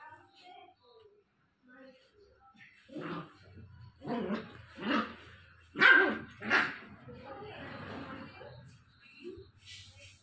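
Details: Angry Japanese Spitz puppy, 60 days old, giving a short run of sharp barks in the middle, with quiet stretches and soft sounds before and after.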